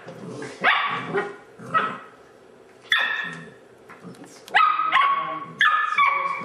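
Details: Airedale Terrier puppies of the Oorang line, also called Mountain Airedales, playing football. They give sharp, ringing, high barks and yips in irregular bursts, about six or seven across six seconds, each with bright harmonic overtones.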